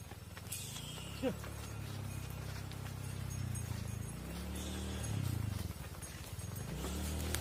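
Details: Farm scene of mother cows walking into the barn as their calves remain outside: deep, drawn-out moos overlap and swell for several seconds, with a brief higher squeak early on and constant hoof clopping beneath.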